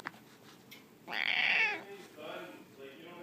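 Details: Domestic cat complaining and talking back while refusing to go upstairs: one loud, drawn-out, strained meow lasting under a second, followed by two softer, shorter meows; a person's quiet voice urges it on just before.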